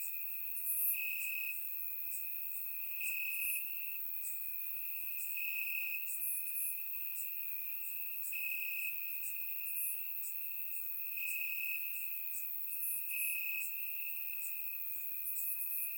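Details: Crickets chirping in the grass on a warm summer night in Bulgaria, captured with a surround microphone: a steady high trill with brighter pulses about every two seconds, plus faint higher ticking insects layered above.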